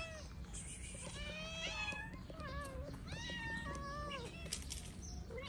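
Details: Several stray cats in Morocco meow for food together at a daily feeding; overlapping, arching meows follow one another almost without pause, some rising and some falling, over steady low street rumble.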